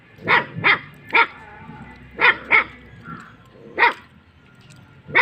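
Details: Guarding Kattaikaal landrace dog giving loud bright barks, often in pairs, about seven barks in five seconds with short quiet gaps and low background hum.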